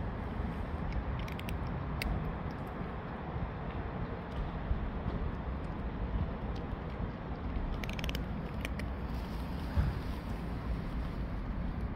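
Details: Low outdoor urban rumble of passing vehicles, with a few faint clicks and knocks and no animal calls.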